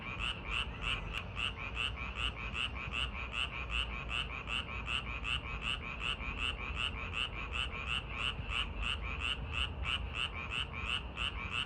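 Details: Park frogs on a summer night produce a steady stream of harsh, pulsed croaks, close to three per second, sustained for the whole stretch above a constant low background drone, with one brief click.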